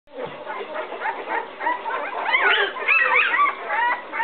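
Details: Eleven-day-old puppies of Fiona and Max, upset and searching for their mother after she entered the whelping box and walked back out; several overlapping high whines, squeaks and yelps rise and fall continuously, growing more insistent midway.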